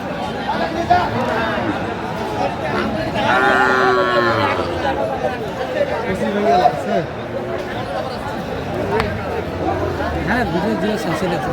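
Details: Sahiwal bull calves at a cattle market in Faridpur, Bangladesh, 27 March 2025, while a farmer buys them; one drawn-out, harmonic moo about a second long sounds over steady crowd chatter and close talking.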